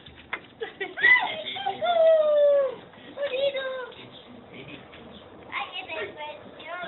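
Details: A male dachshund, a shelter rescue, gives high, falling whines and yelps in excited greeting as his owners come home for the day, a daily ritual.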